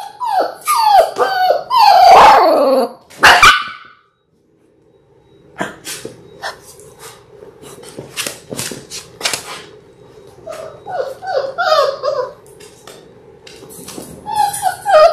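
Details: Labrador Retriever puppies in their sixth week, a litter of six born January 18, 2022, seen on a puppy cam. Loud, high whining yips fall in pitch for the first four seconds, then a short silence, then a rapid run of softer yips and whimpers.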